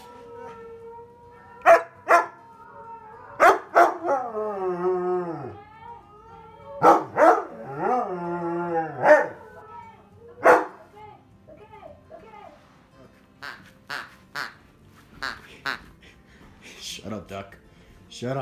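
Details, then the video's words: Onyx, a husky in a try-not-to-howl challenge, mixes barks with wavering, dipping howls early on, then scattered softer barks and yips as the sound thins out. "TRY NOT TO HOWL CHALLENGE - Husky’s cute and funny reactions"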